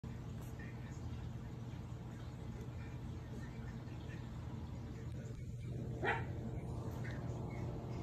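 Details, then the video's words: Two-week-old Jack Russell Terrier puppies: a short, thin squeak sweeps upward about six seconds in, with a fainter squeak near the start, all over a steady low indoor hum. "Jack Russell puppies"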